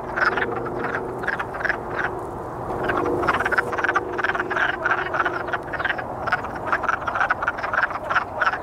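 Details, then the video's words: Many courting wood frogs calling together, quick chuckling croaks repeated densely and overlapping without a break, loudest in the second half, with a low steady drone beneath. "Wood Frog Boogie"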